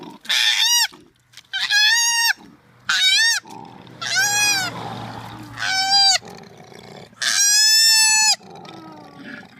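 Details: Koala giving a series of loud, wailing cries, each about a second long with a bending, nasal tone, separated by short quiet gaps and a few softer, fainter calls.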